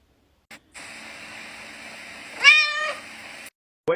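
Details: Domestic cat being woken up for school indoors gives a single short, rising-then-falling meow of about half a second over a steady electronic hum, with a brief click before and a voice starting at the end.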